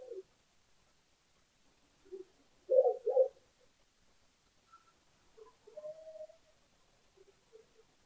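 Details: Lesser bush baby at a South African bird cam for a yogurt dinner, June 20, 2015; scattered soft croaks, a strong double burst, then a thinner drawn-out whine and faint trailing notes.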